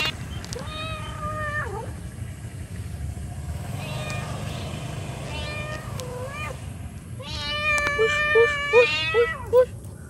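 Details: A mother cat calls to her kittens with a run of long, wavering meows. Near the end come five short, sharp taps in quick succession, all over a steady low background rumble.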